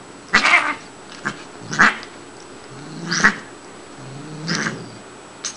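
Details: Playful female Siamese cat Shiloh, a cat that constantly talks to her owner in kitty language, gives four hoarse, strained yowls about every 1.3 seconds, harsh and angry-sounding though she is not angry, in a quiet room.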